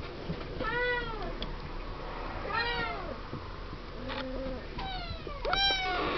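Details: Seven-week-old Siamese kittens in their pen, giving a handful of separate arching meows spaced a second or two apart, each rising then falling, with a brief flat tone and soft rustling between.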